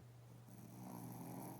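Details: Shih Tzu dozing with twitching legs, giving one drawn-out, raspy snore that swells in strength after a short quiet start, over a constant low electrical-sounding hum in a small room.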